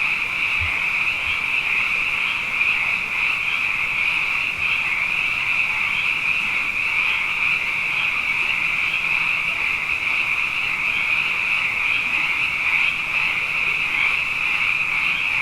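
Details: Many frogs calling at night following two wet years, forming a steady high-pitched sound bath of dense pulsing croaks, with a few soft low thumps early on beneath the chorus.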